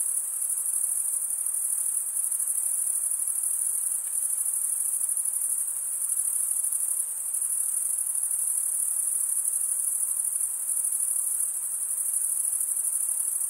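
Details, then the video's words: Crickets chirping by stridulation, the males rubbing wings together: an unbroken high, thin buzzing trill with slight swells in loudness and nothing else audible. "Most relaxing cricket sound for 8 hours"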